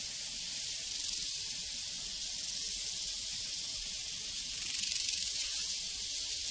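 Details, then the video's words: Soft, steady high-pitched buzzing of prairie crickets, a dense rapid pulsing chorus that grows briefly louder past the midpoint. "Sounds from a Prairie Crickets and Cowbells"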